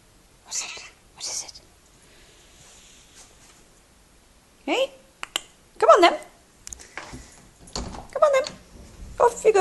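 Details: Domestic cat indoors chatting with its owner, answering him with several drawn-out, falling meows between his spoken words, before being sent out into the cold; human speech throughout.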